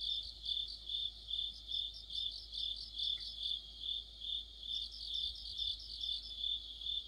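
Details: Autumn chorus of crickets with other insects near a streetlight: a steady, high, ringing trill that swells in soft pulses about twice a second, with a brief faint chirp near the middle and no other clear sounds.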